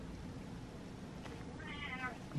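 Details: Pet cat meowing indoors, one drawn-out harmonic meow rising then falling, preceded by a faint clicking sound and a woman speaking softly nearby.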